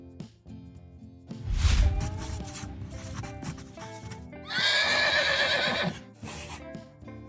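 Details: Horse neighing: a loud, shrill whinny of about a second and a half that starts high and wavers downward, set against continuous background music.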